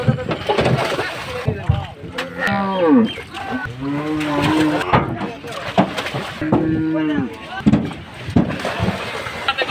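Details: Cattle being unloaded for Qurbani Eid, lowing in long drawn moos with stacked harmonics, several low calls rising and falling across the clip, mixed with shouting voices and crowd noise.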